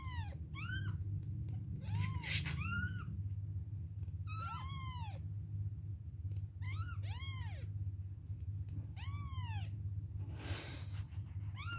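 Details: Baby kittens aged two weeks mewing at milk time: repeated arched cries, several in quick pairs, high and piercing over a constant low droning hum, with a brief hiss-like rustle near the end.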